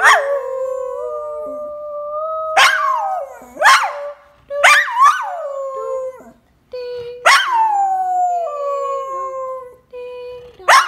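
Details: Kobi, a pet dog, singing along to a favourite Christmas song: long sustained howled notes around one pitch, sliding down at the ends, broken by sharp loud yips and yelps every second or two, with brief pauses.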